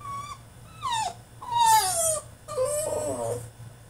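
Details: Tantrum from a French Bulldog shut in his cage: a steady high whine, then repeated falling cries, some strained and raspy, rising and sliding down in quick succession.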